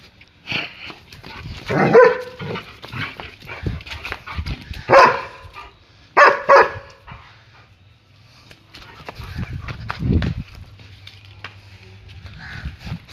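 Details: German Shepherd barking while playing; a few loud isolated barks, including a quick pair, over a steady low hum and scattered quieter noises.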